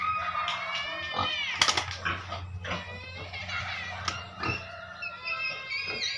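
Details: Caged pigs raised to earn money for a family, letting out harmonic squeals that rise and fall, several overlapping, over a steady low hum.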